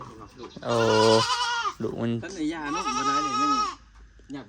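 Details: Goat bleating among a newly bought group of four goats, two long wavering bleats, the first held nearly a second, the second shorter and quivering, with a man's voice talking close by.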